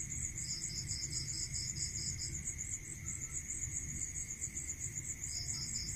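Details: Crickets at night in the countryside giving a continuous high pulsed trill, with a lower chirping run at the start and again near the end, over a steady faint tone and low rumbling background.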